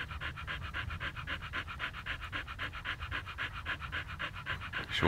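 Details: A Siberian Husky in Pleven, Bulgaria, holding still in one place, pants rapidly in rhythmic, rasping breaths, close and even, with a brief sharper noise at the very end.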